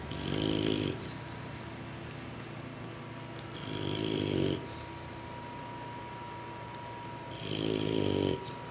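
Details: Sleeping English Bulldog puppies, worn out after feeding from momma, snore in three coarse, buzzy bursts spaced about three and a half seconds apart, each lasting close to a second, with a hushed room between them.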